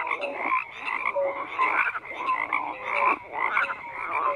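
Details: Frog chorus with rhythmic croaking pulses swelling roughly every half second, harsh rattling calls mixed with brief clear whistled notes from several overlapping frogs.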